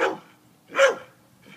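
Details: Worked-up dog during a hunt for a rat, two loud, short, harsh barks almost a second apart, the second stronger, in a small quiet room.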